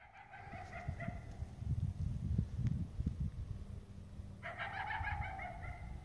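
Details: Coyote barking in the morning, heard on the way to a tree stand: drawn-out, tonal, slightly rising barks, a short pair near the start and a longer one near the end, over loud crunching footsteps.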